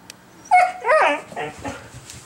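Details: A female Siberian Husky, restless after a two-day move with no exercise and wanting out for a walk, gives three short, wavering howls, rising and falling like talking.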